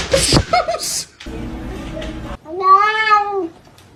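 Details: Kitten meowing: a drawn-out harmonic meow rising then falling, lasting about a second at the end, after a stretch of speech and background noise.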